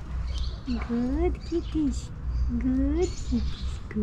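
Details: Stray cats in an Istanbul alley vying with each other for affection: quick chirruping calls and drawn-out meows that sweep upward and fall away, following one another almost without pause against a low, constant street hum.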